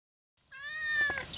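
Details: Domestic cat meowing while talking to birds: a single drawn-out, level meow that swells in loudness toward the end, with a woman's voice nearby.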